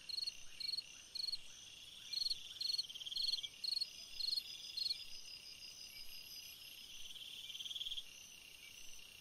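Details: Cricket song at night in summer: a series of quick, evenly spaced high chirps, then a softer longer trill, set against a continuous shrill insect background.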